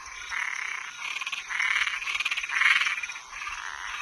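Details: Nocturnal toads and tree frogs: drawn-out rasping croaks, some with a fast pulsing rattle, swelling and fading in loudness, against a steady thin high-pitched background hum.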